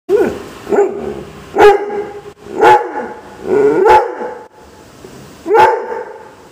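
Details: Doberman crossed with German Shepherd throwing a tantrum: six loud, sharp barks spaced about one second apart, each opening with a rough yelping attack that bends downward, with short whining tails and quiet gaps between.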